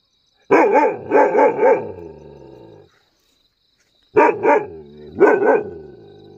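A Mudhol Hound barks in short, deep bursts, three rapid barks followed after a pause by two more. Each bark is rich and ringing, with a slight growly tail between them.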